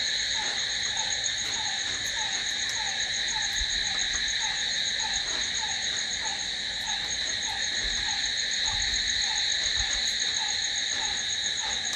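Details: At night a steady cricket trill rings on continuously, high and shimmering, with quieter descending chirps repeating at a quick, even pace and a few faint low thumps.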